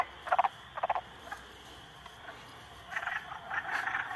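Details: Frogs, three of them ganging up on a salamander, give two short, loud bursts of rattling croaks at the start. A quiet pause follows, then a rising stretch of rough, buzzy croaking.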